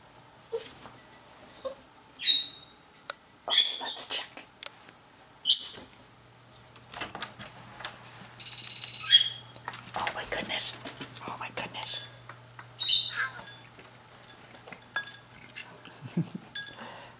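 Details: Sushi, a pet dog, whimpering in a garage, impatient to clean up the cat's leftover food; thin, high whines come in short bursts every one to three seconds, with scattered clicks and a low steady hum behind.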